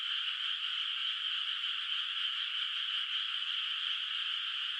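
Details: From a moonlit rice paddy in the countryside at night, still bare of rice, a distant mass of frogs keeps up an unbroken, rattling, high-pitched chorus, even in loudness throughout.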